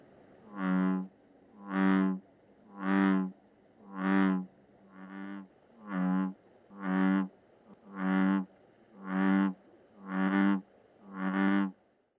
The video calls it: LA RANA TOROOOOOOO